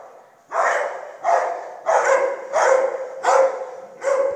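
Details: Six sharp barks from a dog follow one another about every two-thirds of a second, each harsh and mid-pitched, over a quiet background.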